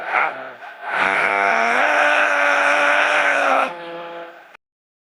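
A leopard seal gives a long, moaning call that climbs in steps before dropping lower.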